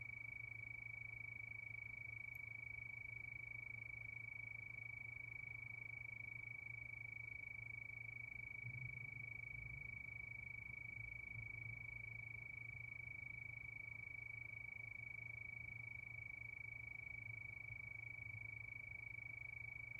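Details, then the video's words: Under a night moon, crickets trill continuously in fast, even pulses at one high pitch, with a low background hum and a brief soft rumble midway. "Sound of Crickets"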